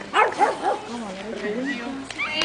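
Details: Pekingese dog in the show ring at a group speciality show in Tallinn, Estonia, on 22 May 2011: three quick, sharp, yapping barks in the first second, followed by people talking nearby.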